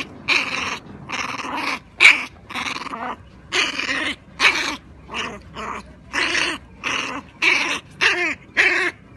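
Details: Female American Pit Bull Terrier puppy up for adoption, growling. Short, raspy, harmonic bursts come about once every half second to second, with brief quiet gaps between them.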